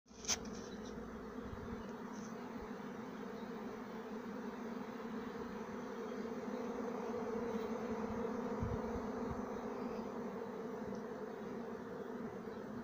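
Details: Thousands of bees flying around a person in a garden on a fine day; a dense, continuous low droning hum with no breaks throughout.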